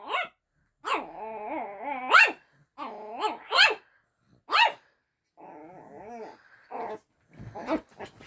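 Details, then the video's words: First-time barking from Luna, a household dog, directed at another dog named Daisy: a series of high, sharp barks mixed with drawn-out wavering tones, irregular and roughly forty a minute, as voices encourage her. "Luna barking at Daisey for the first time"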